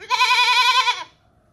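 A goat gives one wavering, nasal bleat lasting about a second, fairly high-pitched with a quavering tremble, then falls silent.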